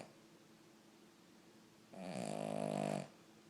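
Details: Cavalier King Charles Spaniel asleep indoors, snoring: after quiet breathing, one long rough snore builds and holds for about a second with a rattling, buzzy texture, then stops abruptly.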